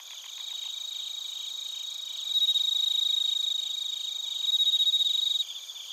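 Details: Bell crickets and other crickets in Narita, Chiba, Japan, recorded with a TASCAM Portacapture X8: shrill pulsed chirping throughout, joined midway by a louder, clear ringing tone that holds for about three seconds before dropping back to the trilling chorus.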